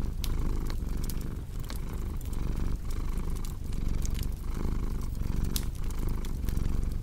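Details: Rhythmic cat purr, a soft low drone pulsing in and out with breathing, accompanied by crackling and popping from a cozy fireplace.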